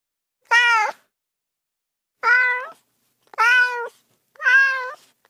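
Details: Four clear, level-pitched cat meows, each about half a second long and evenly toned, with silence in between.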